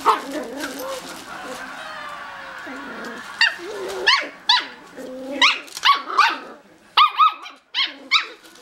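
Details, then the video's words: Two miniature schnauzer puppies in a puppy pen bark back and forth across it: whiny, rising yelps and growly noises at first, then a quick run of sharp high-pitched yaps in close succession. "Mini Schnauzer Puppies Chatting"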